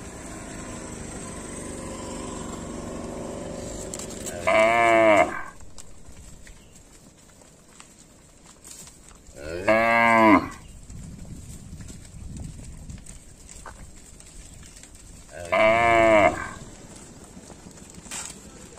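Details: Tame village cattle roaming fields and drinking at a village lake, three loud harmonic moos about five seconds apart, each lasting under a second, with a steady high hiss in the background.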